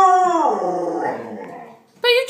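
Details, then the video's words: Sasha, a pet dog indoors in a small room, in a playful 'talking' moan: a harmonic, voice-like tone sliding downward over about one second, fading out, then a sharp new higher-pitched burst at the end. "Sasha The Talking Dog/Bone Chewing"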